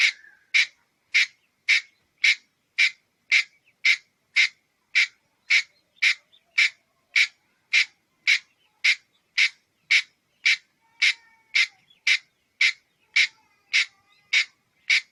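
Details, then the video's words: Red-headed squirrel calling with a steady series of harsh, broadband chucks, about 27 sharp notes evenly spaced roughly every half second over fifteen seconds; quiet background with faint soft noises. "เสืยงกระรอกหัวแดง. Suab nas ncuav liab qab"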